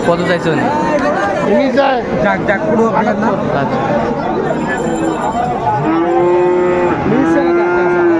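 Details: Cattle market at Raniganj haat, Dinajpur, 2 May 2024, selling Friesian and crossbred bull calves. A steady, moaning moo swells near the end amid dense human chatter and haggling.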